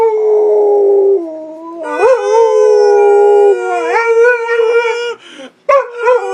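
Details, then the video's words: Pit Bull joining a howling contest with a person, long drawn-out howls that rise and fall in pitch with bright overtones, rising sharply near the end, with brief breaks between phrases. "Pittbull howling"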